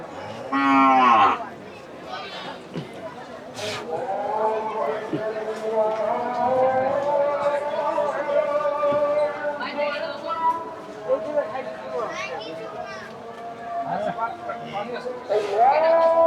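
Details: Cattle for Qurbani sale at the Fatullah cattle market, Narayanganj, Bangladesh, May 2026: a long drawn-out low moo with rich harmonics lasting several seconds, preceded and followed by shorter bellows, with market chatter and speech around.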